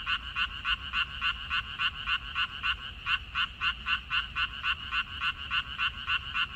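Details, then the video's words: Frogs in a water-parsley field, recorded 14 May 2021, croak in a dense chorus: rapid, evenly spaced raspy pulses, about three or four per second, stacked in bright bands, with a soft low background rumble. "고향 생각 나게 해주는 개구리 소리, 미나리밭의 그놈들, Croaks of Frogs, Sounds of frogs, Song of frogs"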